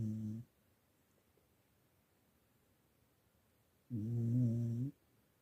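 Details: Sleeping English Cocker Spaniel snoring indoors: a short low rumbling snore at the start, then near silence, then a longer, louder, buzzy snore lasting about a second, with no other sounds.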